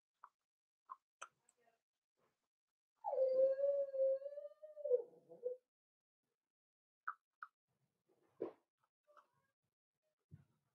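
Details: Quiet home puppy pen with four-week-old Cavalier King Charles Spaniel puppies: one sustained, steady, fairly low whine of about two and a half seconds, with scattered faint clicks and small yips before and after.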